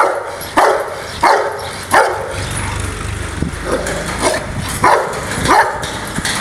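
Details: Angry Rottweiler barking in bursts: three sharp barks in the first two seconds, a pause with softer sounds, then three more loud barks near the end.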